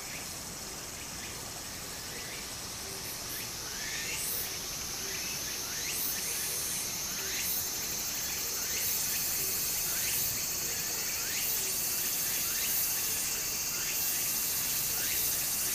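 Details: Japanese summer streamside scene where cicadas keep up an unbroken high-pitched whine while quick rising chirps repeat every second or so, all over the constant wash of flowing water that grows slightly louder.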